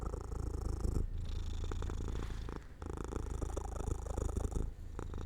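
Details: Pet cat dozing off near an open window in the sun, giving a deep pulsing purr that pauses briefly at about one and three seconds before resuming, with a faint constant high hum behind it.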